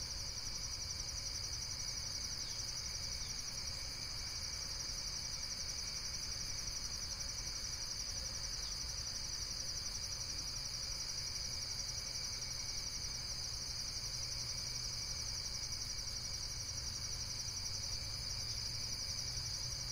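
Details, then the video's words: Unbroken high, ringing insect trill with quick even pulses, a fainter second buzzing layer above it, and a steady low background rumble. "Relaxation Video with Various Nature & Insects Sounds"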